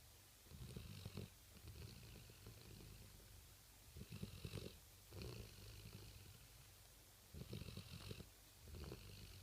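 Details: A male Rottweiler pet asleep at night, snoring in slow, irregular rumbling breaths, each a low grainy burst about every two to three seconds, with quiet gaps between; low background hiss.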